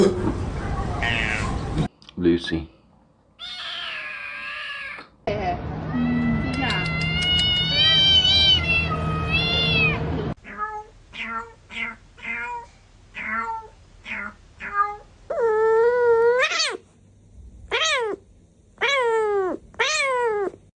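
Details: House cat meowing repeatedly indoors: after a noisy opening with scuffling and a longer wavering cry, a run of about nine short meows that rise and then drop, each roughly a second apart, some higher and more strained.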